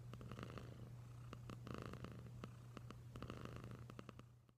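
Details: Domestic cat purring indoors, a steady low rumbling hum held throughout with scattered soft clicks and taps over it, fading toward the end.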